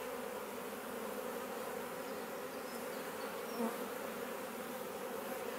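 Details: Many honey bees flying around a bait hive newly occupied by a swarm, garden in Leicestershire, England, June; constant layered humming buzz throughout, one short louder buzz passing close midway.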